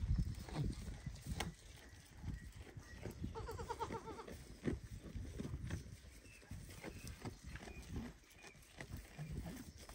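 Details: Baby goat loudly calling its mother so she will feed it, after watching her eat; one wavering, quavering bleat lasting about a second mid-clip, surrounded by rustling, thumps and movement noise.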